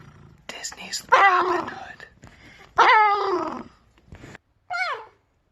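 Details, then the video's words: Captive red fox kept as a pet, described as most vocal when annoyed: three bursts of harsh, harmonic whining cries, the longest near one second, the last a short falling whine, separated by quiet breathy pauses indoors. "The many Sounds of a Red Fox"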